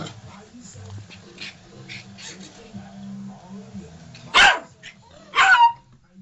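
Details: Yorkshire Terrier puppy chasing a toy guinea pig gives two sharp, noisy barks about a second apart near the end, over steady television talk and music in the background.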